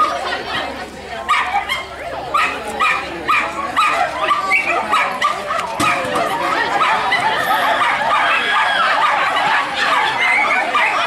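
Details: A Jack Russell Terrier barks in muskrat racing at a Missouri farm competition. Rapid high yaps come about once a second, then blur into continuous excited yelping and crowd noise.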